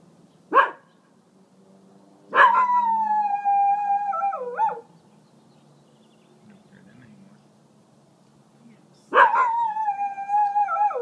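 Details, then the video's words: Guarding its home territory against coyotes, Zotz the dog gives a short sharp bark and then two long, sustained, howl-like barks spaced several seconds apart. Each howl holds a steady pitch before dropping at the end, with quiet pauses between. "Dog Warns Coyotes To Stay Away"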